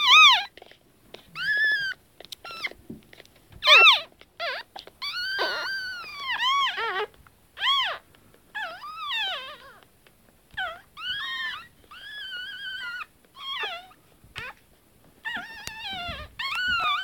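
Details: Newborn pug puppies, twenty minutes after birth, crawl around a warm basket giving their first sounds: thin, high squeaks and arching whines in short bursts.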